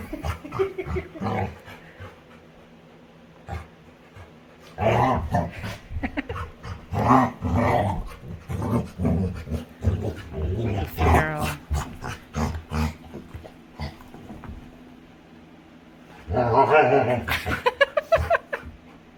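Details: A playful female Labrador retriever at home gives rough, grumbling play growls and grunts in long rapid runs, with pauses between bouts and a louder, rasping burst near the end.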